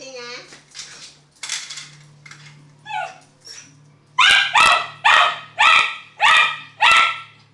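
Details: Elvis, a pet miniature schnauzer, fighting a birthday balloon: whines and soft yips over talking, then six loud sharp barks about every half second, with a steady low hum underneath.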